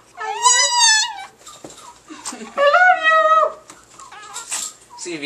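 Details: Paco, a pet Chihuahua kept indoors, vocalising his imitation of "I love you": two long, high, wavering howl-like whines, harmonically rich and bending in pitch, with human voices and handling noise between them.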